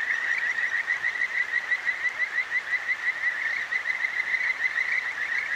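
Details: Kajika frogs calling at night beside a clear mountain stream in the Akigawa Valley, Tokyo, Japan: a dense, steady chorus of high trilled notes repeated about three times a second, with soft flowing water beneath.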